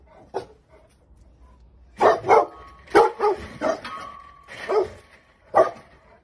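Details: Presa Canario in April 2020 footage giving a lone bark, then a run of loud, irregular barks about a second apart, with a faint steady tone in the background.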